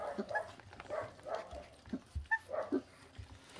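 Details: A 26-day-old feral dog puppy eating raw meat gives short, soft whimpering squeaks, several brief tonal notes spaced irregularly over a few seconds, with faint chewing and handling noises in a quiet setting.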